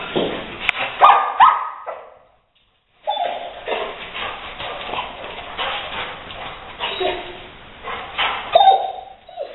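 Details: Leo, a Rottweiler, confronting a gray squirrel intruder he eventually evicts through an open window; short high whines and yelps over scuffling bursts, a brief silence near two seconds, then restless noisy activity.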